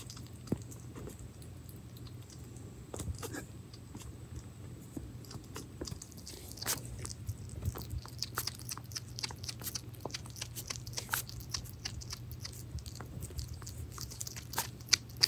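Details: Indoor pet hedgehog Pirozhok feeding on minced meat; faint smacking chews scattered at first, growing denser and more rhythmic in the second half, roughly three per second, over a low steady hum.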